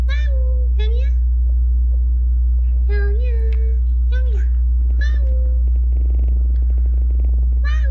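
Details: Rescued weak kittens, discovered leaning on each other on a return trip from a family funeral, mew repeatedly: short high, slightly wavering cries about every second, some bending down at the end, against a constant low electrical hum.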